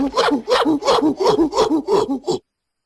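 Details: Gorilla vocalizing in a rapid series of seven deep, hoarse, hooting grunts, each pulse rising and falling, spaced about a third of a second apart, then abrupt silence.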